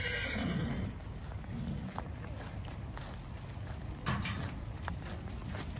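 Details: Horses at a stable in Sami Abdulrahman Park, Erbil, after a fire there was brought under control and firefighters rescued the animals; a harsh whinny early on, then clip-clop of hooves and scattered clatter over steady low rumbling noise.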